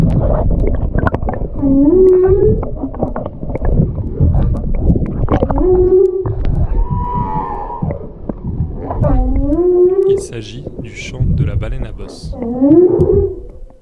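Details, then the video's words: Humpback whale song recorded in the Indian Ocean around Réunion: low, moaning tones that swoop and rise, repeating in drawn-out phrases. "Il s'agit du chant de la baleine à bosse."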